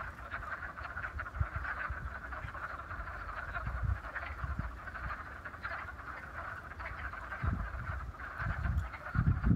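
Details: Wood frogs calling in a vernal pond at Raccoon Wildflower Reserve, Beaver County, Pennsylvania, on 28 February: a dense, continuous chorus of low clucking quacks overlapping throughout, with rumbling low noise underneath.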